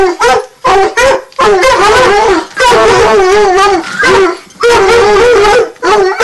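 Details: Two Redbone Coonhounds aged nine months bay while treeing, producing drawn-out, warbling howls and shorter chop notes in quick alternation, loud and close.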